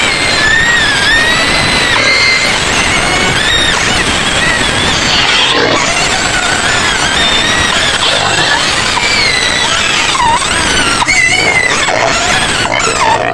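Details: White pigs in their pen on the edge of Medan screaming continuously, shrill squeals swooping up and down in pitch from many animals at once, dense and loud for the whole stretch.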